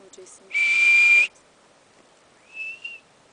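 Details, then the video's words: Marmot at Berg Lake, Mt Robson, Canada, seemingly confused while a person talks to it: one loud, piercing, level whistle lasting under a second, then after a pause a softer, short rising whistle. "Marmot Communication"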